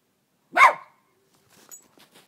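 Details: Dog playing in the snow in a yard in winter 2010 gives one sharp, loud bark, followed by faint clicks and quiet rustling.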